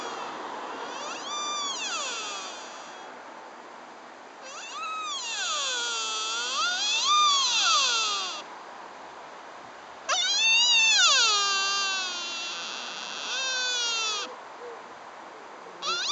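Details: Crying calls of deer at Dyrehaven deer park in Vejle, Denmark: loud, plaintive wails that swoop upward and slide down again, coming in long bursts of about two to four seconds with short pauses between them.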